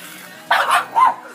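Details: Pug spinning in circles, two short sharp barks about half a second apart, the second higher and more tonal, over a quiet indoor background.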